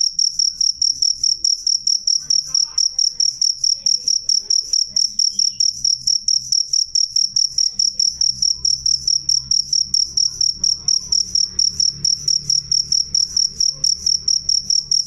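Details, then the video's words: Cricket chirps ring out sharp and clear, a high, bright tone in quick bursts about every half second, continuing evenly throughout, over a faint low background hum. "suara jangkrik jernih keras"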